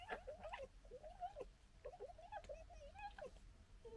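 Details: Red fox from a local family group gekkering during fighting and disagreement; a run of wavering, chattering mid-pitched calls with short breaks, fairly quiet.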